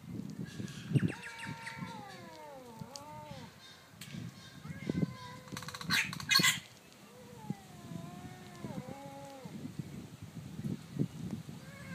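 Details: Orange house cat and a black cat from down the street squabble over territory by day; drawn-out descending yowls repeat over a low, rumbling background, broken by a sharp hiss midway.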